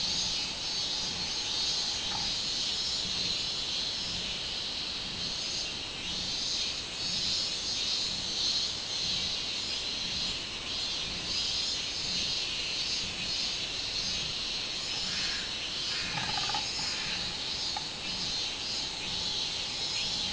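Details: Robust cicada (minminzemi), recorded 24 July 2016, droning for twenty seconds in a shrill, hissing buzz that throbs in regular surges, with a faint short chirp near the end.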